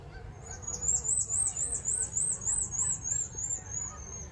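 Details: Tamarins at Battersea Park Children's Zoo in London fuss with a rapid run of very high, thin chirps, roughly three each second, over a low, steady background rumble; at least two are seen, one acting as sentinel.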